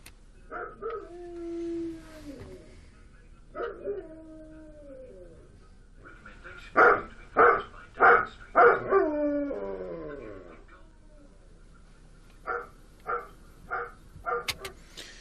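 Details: A lone dog mixes drawn-out, falling howls with bursts of sharp barks; the barking signals being alone and on its own would sound a little angry, while the howling is a call to gather the pack.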